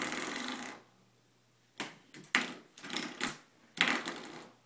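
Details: A hiss fades out, then a series of short springy twangs and rattles from a door stop follow, with no animal sounds heard.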